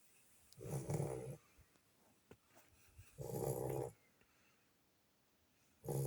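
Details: Sleeping Lagotto Romagnolo puppy, worn out from play with siblings, gives deep, grumbling snores roughly every two and a half seconds, with small clicks and breathy sounds in the gaps.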